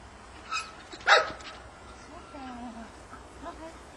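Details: Labrador named Tomi during obedience training gives one sharp, loud bark, followed by softer whining tones and a person speaking in the background.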